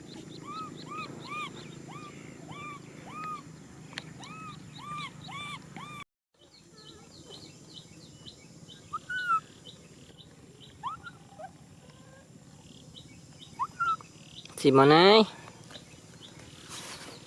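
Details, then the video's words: Baby macaque named Nui Simon crying out for a hug: a run of arched, whistled cries with clear overtones, about two each second for six seconds, then scattered single cries and a brief loud harsh burst near the end. "Monkey baby Nui Simon cries out for a hug"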